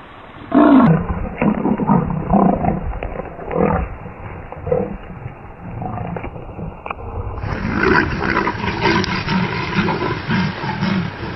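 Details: Leopards fighting in the jungle: loud, rough growls and roars in repeated bursts, rising and falling in intensity, with a brief high tone near the middle and a denser stretch of snarling toward the end.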